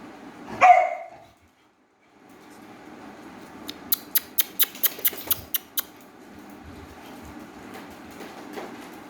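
A Beagle puppy gives a single sharp, high yelp, followed by a quick run of tapping clicks.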